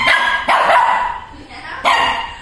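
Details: Shih Tzu puppy in Chennai, afraid of a Batman toy bike, lets out three loud sharp barks, two close together then one after a pause, with Tamil speech nearby as the toy is set down.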